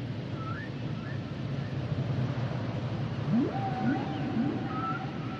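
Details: Humpback whale song: brief high whistled notes, then short low upswept grunts followed by a long flat tone, over steady low underwater noise.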